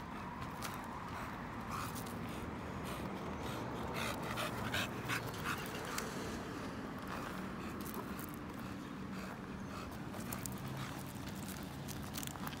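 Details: American Bully out on a stroll, panting in quick, breathy, fairly steady puffs, close to three a second, with scattered scuffing steps and rustle around it.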